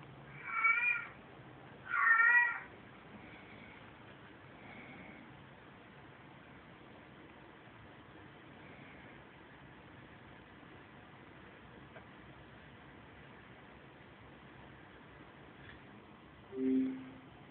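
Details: Pet cats reacting to a played recording of a cat in heat, filmed on an Android phone: two short, harmonic meows close together near the start, a long quiet stretch, then one lower, brief meow at the end.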